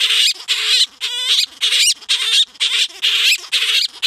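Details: Male grey-headed flying-fox named Gelert, captive, singing to the female Diva after scent-marking his territory in a nook of blankets and stuffed toys. Rapid harsh, chattering bursts with squeaky harmonic wavering notes, about two per second.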